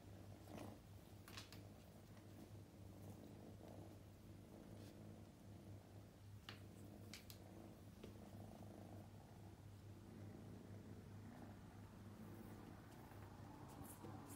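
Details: Purring of Luca, a young male Scottish Fold kitten born May 2021 with upright ears, on his second day in a new home: a steady low rumbling purr running throughout, with scattered soft clicks and rustles indoors.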